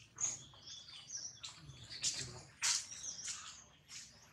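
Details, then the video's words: Baby monkey Jinx crying loudly after Jade bites hard: piercing, tonal squeals in uneven bursts, with two harsh, louder screeches near the middle and quieter whimpering tails. "Pitiful, Jade bites baby monkey so hard, Jinx is crying loudly"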